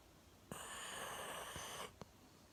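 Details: A one-year-old Golden Retriever named Milo snores deeply while sleeping seated on a sofa, chin on a table; a single drawn-out wheezy snore over a second long, followed by a short soft breath click.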